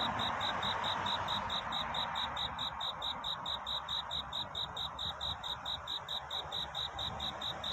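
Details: Night-time courtship song of a cricket looking for a mate, a bright high-pitched chirp pulsing evenly a little over twice each second throughout, over a soft background hiss.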